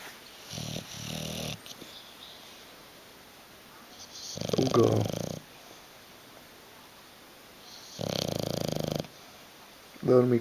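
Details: Hugo the bulldog sleeps on a sofa, unwilling to wake up or move. He gives loud, harsh snoring breaths, one every three to four seconds. Each is a gravelly rattle lasting about a second, with a quiet indoor room between them.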